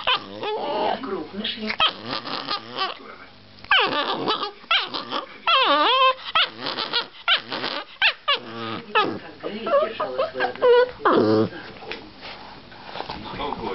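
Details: Chihuahua guarding his girlfriend indoors, letting out rumbling growls that break into short high yaps and whiny snarls in irregular bursts, with human voices talking over and between the dog's noises.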